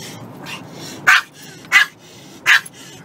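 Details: A dog gives three loud, sharp barks, spaced roughly two-thirds of a second apart, against a faint steady background noise.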